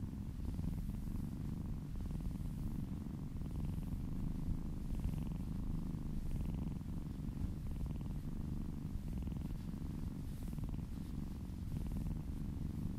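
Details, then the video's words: Contented domestic cat purring under a massage, steady rumbling purr lasting the whole time, light rubbing noises from the hands faintly audible on top. "Purring kittens ASMR"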